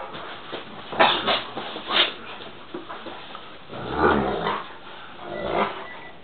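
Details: Two Great Danes make rough, growly bursts and short whines at irregular intervals while playing with the same teddy.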